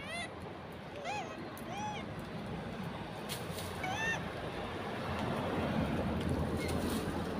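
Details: Southern pig-tailed macaque making several short arched, tonal coos in the first seconds, over steady low engine-like rumble that grows louder toward the end.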